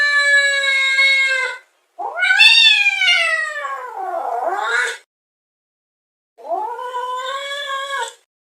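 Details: Domestic cat making a weird yowling sound: a long steady wail, then a wavering rising-and-falling howl lasting three seconds, a pause, and a shorter whining yowl; no other sounds.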